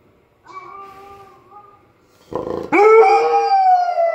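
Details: Irish Setter howling while listening to dog singers; a faint thin howl first, then a loud harmonic howl rising sharply and holding steady before easing down.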